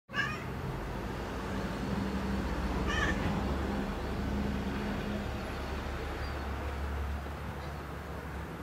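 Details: Ohagi, a pet cat, calls out excitedly at the sight of birds outside. A short meow-like burst opens the clip, then a second brief cry comes near three seconds, over a steady low indoor hum.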